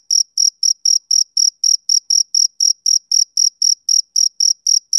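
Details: Steady chirps from a male cricket on a summer evening, sharp high pulses repeating roughly four times a second without a break; nothing else audible.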